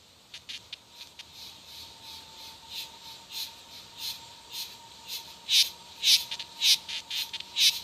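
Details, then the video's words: Cicada song starting faint and sparse, then swelling into loud, rasping buzzy pulses about every half second toward the end, with a thin steady tone underneath. "O canto das cigarras"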